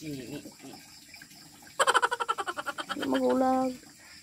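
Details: Goat at a provincial pasture giving one strongly quavering bleat, pulsing rapidly for about a second, then a steadier, lower wavering tone. Faint voices come just before it over a constant hissy background.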